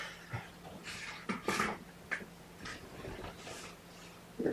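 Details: Mama Seraphina's young kittens, a litter of four (three boys, one girl), indoors, objecting to being pottied before weighing: short, high, strained mews in scattered bursts among rustling handling noises over a faint steady hum.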